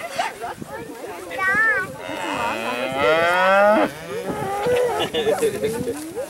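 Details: Dairy cattle let out on pasture for the first time in spring, mooing loudly amid running and jumping; several overlapping calls, one long drawn-out moo from about two to four seconds, shorter bellows around it, bustling herd noise behind.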